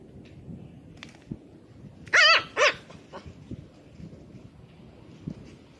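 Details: Chihuahua named JiaJia, on day three after homecoming, playing on the grass on 25 August 2020: two loud, harmonic barks close together around the middle, with soft rustling and faint thumps before and after.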